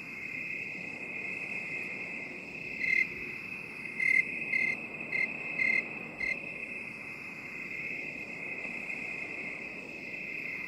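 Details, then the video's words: Crickets in binaural 8D sound for relaxation: a continuous high shrill trill, with a brief cluster of louder, sharper chirps about midway. The sound slowly sweeps and shifts as the 8D effect pans it around. "3 HOURS OF 8D CRICKET SOUND"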